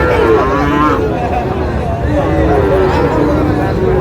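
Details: Sahiwal bull calves at a cattle market in Tangail, Bangladesh, 20 August: a drawn-out low moo with stacked harmonics over dense crowd noise and chatter.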